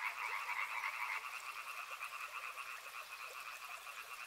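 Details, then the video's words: Frogs along a river croak together; two stacked bands of fast, regular pulses stand out, louder in the first second and then easing to a steady rhythmic trill. "Frog Sounds | Soothing sounds of river and frogs"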